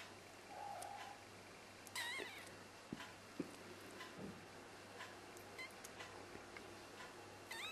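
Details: Black golden female kitten, three weeks old, of Exotic or Persian breed: a few faint, thin, high mews with quick upward-bending pitch, scattered over steady background hiss and a low hum.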